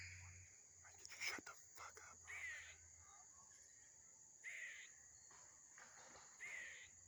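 A squirrel gives harsh, raspy bursts every second or two, over a steady high whine.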